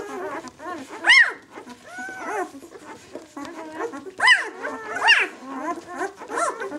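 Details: Six-day-old White German Shepherd puppies from a litter, squealing and whimpering in short rising-and-falling cries, several overlapping, with louder shrill peaks near the first and fifth seconds and soft murmuring between.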